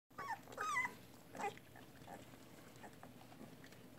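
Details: Labrador Retriever puppy, 18 days old, indoors, giving a few short, high, squeaky whimpers with bending pitch in the first second and a half, then only a faint steady room hum.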